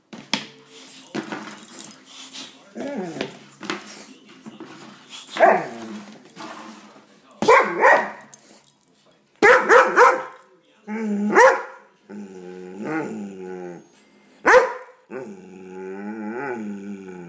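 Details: Pet dog that hates an air pump making odd noises at it: wavering harmonic moans and whines broken by sharp bark bursts, irregular, with a person's voice asking questions in between.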